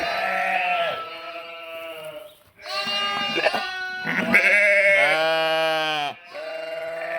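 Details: A flock of sheep and lambs bleating on 11/5/2026: one long quavering cry, a brief dip, then overlapping bleats including a deeper, steady-toned one.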